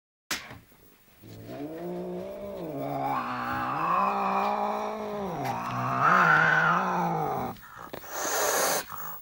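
An angry British Shorthair cat gives a long, low, wavering growl-yowl that ends with a sharp hiss.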